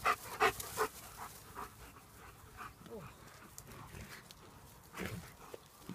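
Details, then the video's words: German Shepherds playing, heard as a few sharp, loud bursts at the start, then steady rapid panting of about three breaths per second, soft and breathy, with faint human voices in the background. "German shepherds playing"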